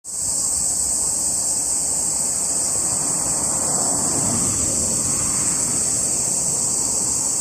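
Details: Cicadas recorded on 17 July 2021 buzz in a steady, unbroken high-pitched hiss that holds at one level throughout. A soft wash of traffic noise sits underneath.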